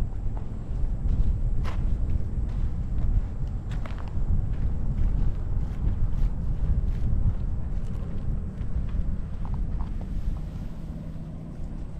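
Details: Loud outdoor footsteps and wind-like rumble dominate, with scattered clicks and no animal voice.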